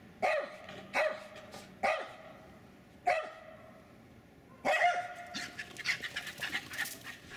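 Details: Two Jack Russell Terriers running and chasing around a backyard in Lenexa, Kansas, one doing almost all the barking: sharp, bright barks spaced about a second apart, then a fast excited string of yaps, with panting and scuffling between.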